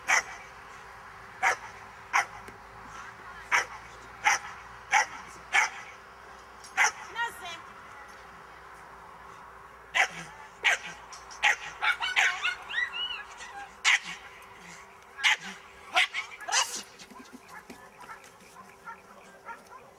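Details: A Miniature Bull Terrier in a defence training class barks in sharp, repeated bursts, with a person's voice heard between them.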